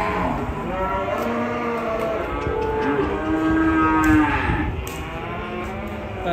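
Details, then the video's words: Enraged cow, choking on the rope around its neck, gives a loud sustained bellow with rich harmonics that rises and then falls over several seconds, over faint music. "Sapi Ngamuk gara gara gulu ne ke tekak"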